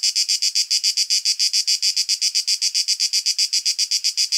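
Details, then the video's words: Cicada song recorded outdoors in nature with a shotgun microphone, produced by the male's tymbals: loud, even, buzzy pulses repeating roughly seven times a second throughout, with nothing else audible. "Cicada sound effect - Canto della Cicala - Suono Cicale - Verso - Cicadas Song"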